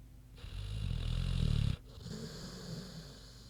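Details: Queenie, a big sleeping pig, snoozing: one long low rumbling snore lasting over a second, deep and grainy, followed by quieter breathing.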